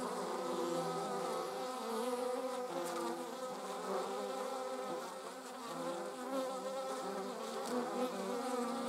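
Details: Continuous layered buzzing from honey bees and wasps, a full droning hum whose loudness dips gently midway and then returns, with faint ticking noises above.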